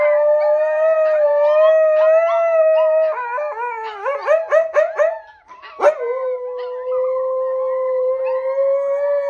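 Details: A mother Siberian Husky teaching her puppies to howl holds a long, steady howl, breaking into quick wavering yips before settling back into a howl.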